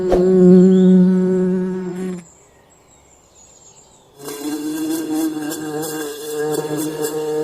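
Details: Forest bees at work on honey: a loud, close, low buzz for two seconds, a near-silent gap, then a second steady drone with wavering upper tones and faint high ticks.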